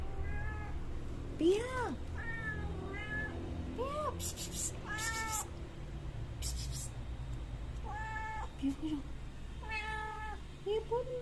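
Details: Mother cat visiting a yard with three kittens, fed milk; about a dozen mid-pitched meows, many arching up then down, spaced roughly one to two seconds apart, with soft human voices and brief rustling bursts.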